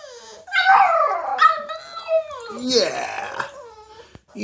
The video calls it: Boston terrier howling